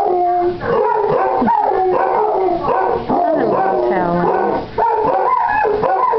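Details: Two Basset Hounds, Boo and the almost eight-month-old, pup-voiced Basil, in a morning howling match; long quavering howls overlap, with a lower wavering tone midway and short breaks between bursts.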